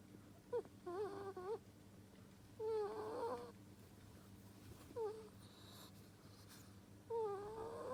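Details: Ferret asleep and snoring, giving four uneven whistling snores with quavering, sliding pitch that dips and rises, some stretched into longer whiny tones, spaced a couple of seconds apart in a quiet room.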